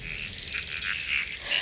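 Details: Frogs calling in Georgia's Okefenokee Swamp, a voice of a healthy ecosystem: a steady high-pitched chorus of overlapping trills and chirps, with brief louder notes rising above the wash.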